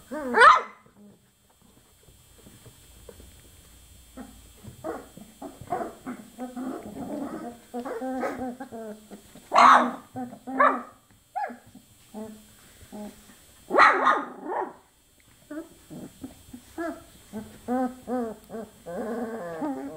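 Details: Chocolate Labrador Retriever puppies, 24 days old: three sharp, loud yelps stand out over a steady run of softer grunting whimpers and squeaks that come in short, irregular bursts.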